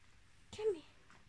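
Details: A pet cat, one of two called Luna and Athena, reacting while its owner pretends to cry; a single short meow, rising then falling, lasting about a third of a second, with faint room noise around it.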